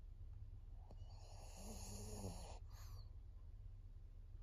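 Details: Fourteen-year-old female pug Maria, fawn-coloured, in Japan in September 2024. A soft click comes first, then a grating inhaled snore with a faint tonal whine inside it, ending in a quick breathy exhale over a constant low room hum.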